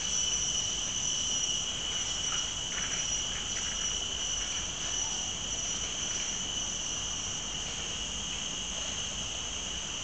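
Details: Cicadas in Mt. Faber park, Singapore, drone in a steady, high-pitched buzz with two strong pure tones running unbroken.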